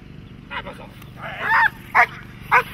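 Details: Dog barking during protection training: four sharp barks within three seconds, irregularly spaced, the second longer and harsher, over a low steady background hum.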